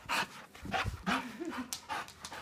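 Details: Curious English bulldog panting and snorting in loud, rough breathy bursts about every half second, with a brief low tonal whine in the middle.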